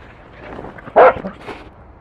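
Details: Pet Welsh Corgi that eats salmon sticks and brings a ball, giving a single short, sharp bark. A fainter yip follows half a second later over low indoor background noise.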